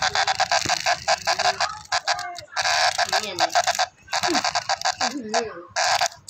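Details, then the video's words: Brown cicada screaming: harsh, broadband buzzing in rapid pulsed bursts that stop and restart several times, with human voices talking faintly underneath. "Brown Cicada screams"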